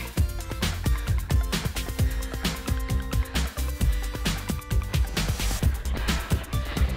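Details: Upbeat electronic music with heavy bass thumps plays throughout, and no animal can be heard.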